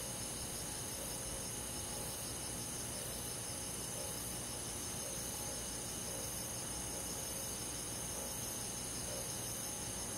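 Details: Crickets and other insects on a summer night in the forest, a dense, unbroken high shimmer of several steady trilling tones with a low background rumble.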